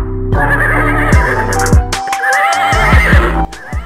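A horse whinnies with a shaky, wavering neigh over steady background music.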